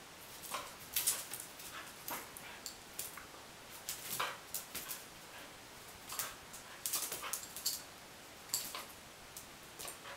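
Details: A corgi gives short, sharp yipping barks in quick, irregular bursts while excitedly chasing a laser pointer.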